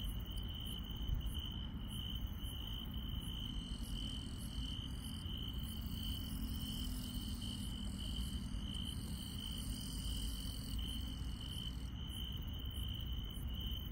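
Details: Night insect chorus in rural countryside, an unbroken high-pitched trill running throughout with regular faint ticks and shimmering upper chirps, over steady low-frequency background rumble.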